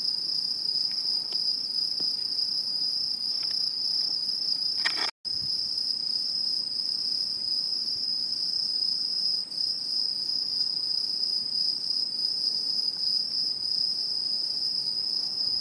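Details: Insects calling in autumn in satoyama countryside, Japan, 2016: an unbroken shrill ringing drone holding one high pitch, briefly cut off by a short gap near five seconds, then resuming unchanged.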